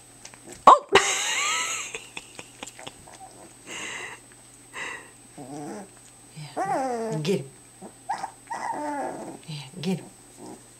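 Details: Entlebucher puppies aged two weeks playing together for the first time indoors, giving small rising squeals and soft growly yips between bouts of human speech, a sharp rustle near the start and a constant hum.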